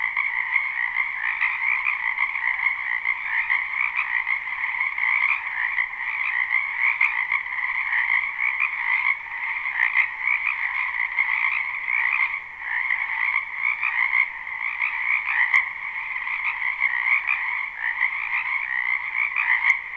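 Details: A live, unlooped recording of many frogs croaking in a spring wetland beside a home, forming an unbroken wall of buzzy overlapping trills at two pitch levels, with faint sharp clicks now and then.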